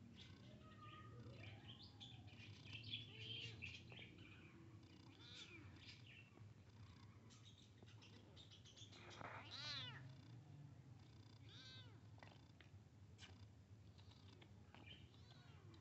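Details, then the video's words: Kitten meeting a big cat: a busy run of short, high meows and squeaky calls, some overlapping, with one louder wavering meow in the middle, over low background rumble. "Meowing to Attract Cats Kitten Meets Big Cat"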